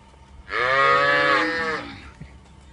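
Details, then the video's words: A single drawn-out Punganur cow moo lasting over a second, rich in harmonics, rising slightly and then fading away. "punganur cow"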